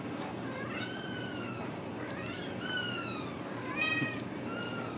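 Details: Ragdoll kittens raised in a home cattery in central Kansas, without cages, give thin, high meows that rise and fall, several overlapping in quick succession, over a steady low background hum.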